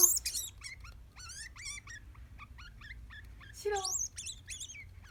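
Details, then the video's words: Pet degu that answers with calls when called by name: a series of short, high, chirping and warbling notes with rapid up-and-down sweeps, grouped in bursts, some louder squeaky notes near the end. "デグー 鳴き声"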